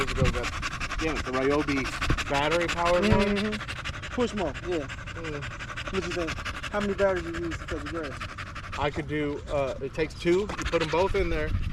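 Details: Staffordshire Bull Terrier with other male dogs at the park one long evening: fast rhythmic panting under intermittent wavering whines that grow busier toward the end, against a low rumbling background.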